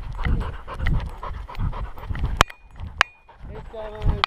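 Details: Close collar-mounted GoPro recording of Skyline, a curious Welsh Springer Spaniel puppy, on a hike at Enchanted Rock near Fredericksburg, Texas: rhythmic rough panting bursts about every half second, with a few sharp clicks.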